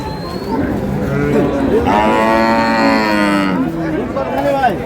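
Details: Improved-breed dairy cow among cows and calves at the Ambari cattle market, Dinajpur, giving a loud, rich moo of nearly two seconds in mid-passage, surrounded by bargaining voices and general market noise.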